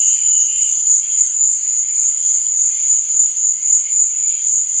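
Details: Continuous high, thin cricket trilling at night, steady in pitch and loudness, with faint lower chirring and a soft thump or two in the background.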